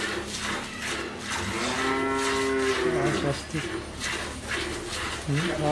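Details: Friesian dairy cow in Pabna, Bangladesh, having calved once with a heifer calf; a single long, steady lowing moo lasting about two seconds, then a short lower grunt at the end, with farm background hiss.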